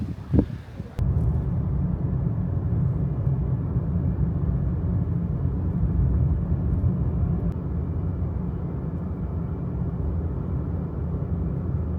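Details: Steady low engine rumble of a vehicle throughout, with a brief clatter at the start and no animal sound.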